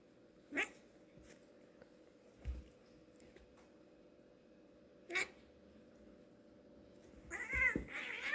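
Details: Two domestic cats playing together indoors: soft thumps and scuffling taps, then a brief, wavering, high meow-like yowl near the end.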